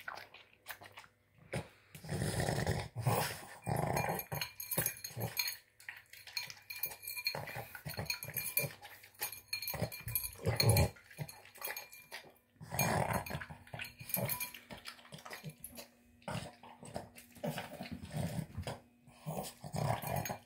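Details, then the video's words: Boston Terrier, a pet dog, snorting and snarfing while gulping a dinner of tuna, egg and kibble indoors; bursts of low, rough snuffling grunts come in dense runs with brief pauses, mixed with wet chewing and clicking noises. "Boston Terrier Snorting Sounds Like a Pig Snorting Down Dinner"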